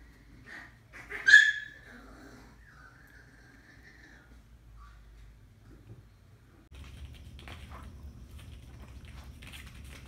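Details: MIMI, the youngest Miniature Pinscher (pinscher zero), gives one sharp, loud yelp, then a drawn-out, wavering whine that fades out, followed by low indoor hum and scattered rustling.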